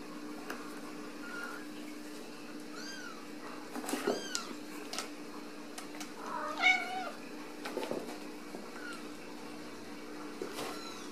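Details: Ragdoll kittens born and raised indoors without cages at a home cattery in central Kansas; thin, high meows, some arching up and down, come in scattered bursts of five or six, with soft knocks and rustling between them.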